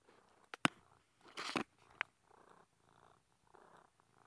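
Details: Velo, a pet cat stuck behind a bookshelf indoors, purring in soft rhythmic pulses about every half second, broken by sharp knocks and a loud scraping rustle near the start.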